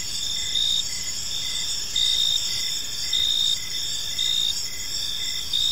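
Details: Several crickets calling in a park at dusk: shrill unbroken high trilling plus evenly spaced short chirps, loudness swelling in regular bursts about every second, soft ambient rumble below.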